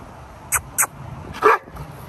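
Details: Dogo Argentino, one of two 11-month-old brothers at a park, gives a single short bark after two brief sharp clicks, against quiet outdoor background noise.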